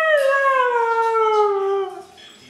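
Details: Siberian Husky howling on command, asked to sing: one long smooth tonal howl that slides slowly downward for about two seconds, then fades; a person praises her afterwards.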